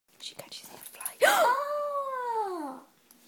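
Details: Beagle yawning: after soft murmured speech, a sudden squeaky onset turns into a long, smooth, tonal whine that rises slightly and then falls away over about one and a half seconds.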